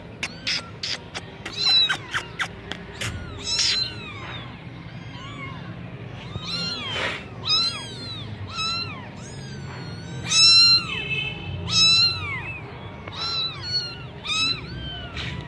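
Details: Gujranwala Persian Sami Punch kitten calling: short clipped mews at first, then a rapid run of high, bent meows, some overlapping, rising and dropping in pitch, with faint low hum underneath.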